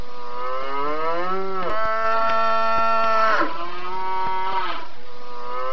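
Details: Cattle mooing loudly: a call starting low and climbing, then a sustained steady harmonic bellow held for several seconds, dropping at the end, with faint clicks and a steady hiss in the background.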